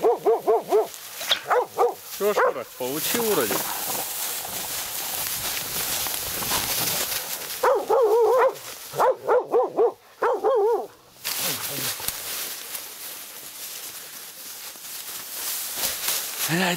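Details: Laika hunting dog barking during a night badger hunt, a young dog meeting a badger for the first time; rapid bursts of sharp, mid-pitched barks in quick runs, pausing between bursts, with rustling and a person's voice in between.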